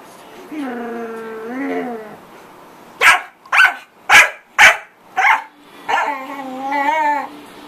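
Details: Pet corgi making a lot of noise: a wavering whine, then four sharp barks about half a second apart, followed by a long warbling howl-like whine.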